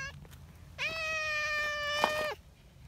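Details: Loud, steady meow from Nyahha, a friendly brown tabby community cat in Japan nicknamed the king cat, just arrived from the mountain: one sustained, level, slightly nasal cry lasting about a second and a half, ending abruptly, with faint low hum beneath.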